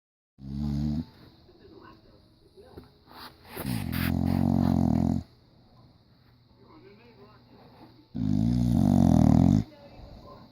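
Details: Sleeping English Bulldog in diapers snoring loud: two heavy, rattling, buzzy snores about a second and a half long, separated by a quieter stretch with a brief rustling noise.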